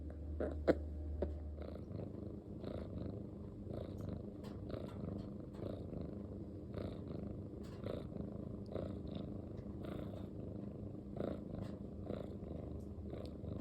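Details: Male long-haired, short-legged Munchkin cat, silver tabby and white, kept as a house pet, purring: a continuous low rumbling drone with soft clicks and small rustles throughout, no meows heard.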